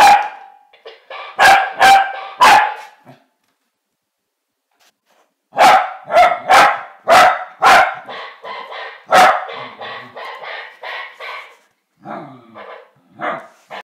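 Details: Winnie the corgi, facing a mechanical parrot, barks in sharp, high bursts, pausing, then firing off a quick run of yappy barks.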